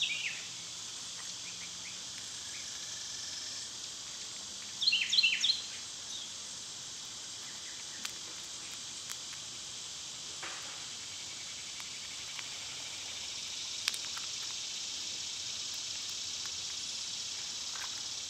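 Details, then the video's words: Cicadas singing in summer give a level, piercing buzz that runs the full length, with a quick burst of bright bird chirps around the middle and scattered faint ticks. "Cicada sounds"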